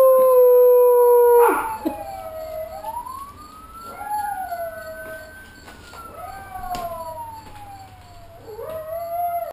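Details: Bull, a shelter dog adopted on St John in the US Virgin Islands, howls along with a computer-generated siren; a steady tone cuts off, then his long wavering howls rise and fall in pitch, several in a row.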